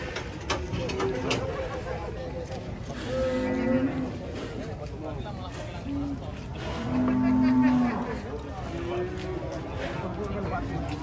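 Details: Three big cattle being unloaded from a truck give low, drawn-out moos, one near the three-second mark and a longer, louder one around seven seconds. People chat nearby over a background of engine and yard noise.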